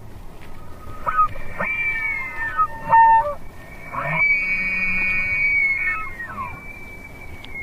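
A swamp deer gives high, wavering tonal calls, ending in one long drawn-out squealing note.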